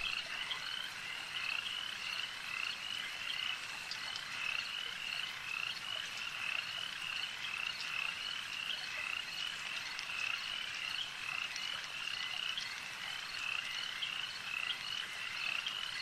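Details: Frogs calling at a lake at night in a dense, continuous chorus: many overlapping high, rapid pulsing croaks repeated steadily throughout, with no other clear sounds.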